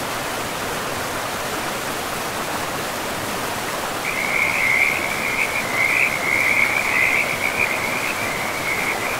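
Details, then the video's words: Frog calling beside a forest river: after four seconds of rushing water, a long high trilled call begins and runs unbroken for about five seconds, the steady roar of the stream continuing underneath. "River and Frogs sleep sounds"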